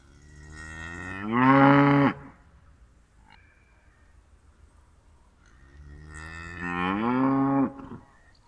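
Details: Two drawn-out cow moos about five seconds apart, each rising slightly in pitch before holding a rich, steady tone, with low background rumble between calls.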